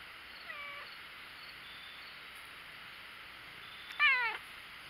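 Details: Black cat enjoying attention gives a faint, short falling mew early on, then a clear, brief, bright meow near the end that bends downward, over a steady faint background hiss.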